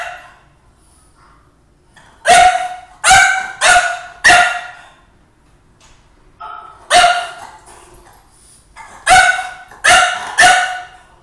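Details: Indoors, a French Bulldog barks at his mirror image, in bursts of three or four harsh, clipped barks separated by silent gaps of a few seconds; a faint whine-like sound comes just before the second burst.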